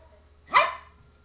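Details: A little house dog waiting at the door, barking to be let inside: a single abrupt, bright bark rising quickly and fading within a quarter second, with a quiet background hum.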